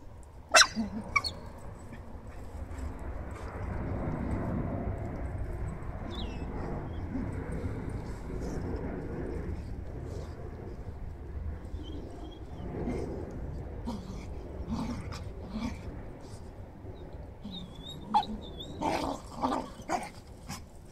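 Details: Glen of Imaal Terrier pups Alma and Aivy play roughly in a garden alongside their mother Keva and grandfather Jake. Scattered shrill yips and short barks cut through steady rustling and scuffling, clustering toward the end.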